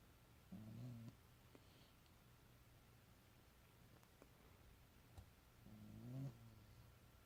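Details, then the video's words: Sleeping pet cat making two low, rasping snore breaths, one near the start and a longer, louder one near the end, separated by quiet room hum. "Cat Making Interesting Noises In His Sleep"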